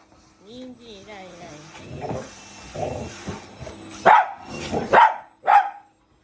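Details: Domestic dog barking while a vacuum cleaner runs at home, with a Shiba Inu and a Labrador squaring off against the machine: people talk first, then three loud, short barks come in the last two seconds.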